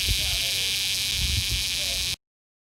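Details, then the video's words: Close-range cicada in a small Georgia town, recorded on an iPhone 6S: a steady, shrill, unbroken buzz with faint voices underneath, cutting off abruptly into silence. "Cicada bug making sound closeup"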